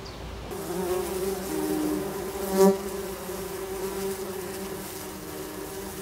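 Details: Tree bumblebee nest, Bombus hypnorum, with young queens: steady layered droning hum of many bees, a brief louder buzz swelling near the middle, constant through the clip.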